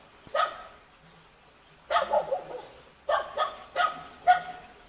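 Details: Cute baby Jindo dog met in a mountain village near Jeonju, Korea: short high-pitched puppy barks and yips in quick clusters of two to three, separated by pauses, quiet background.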